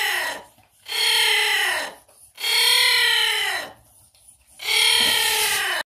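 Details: Young giant anteater at ZOO Magdeburg, loudly making itself heard: three long, harsh, rasping calls with stacked harmonics, each about a second long and separated by short pauses, recorded indoors with no other clear sounds.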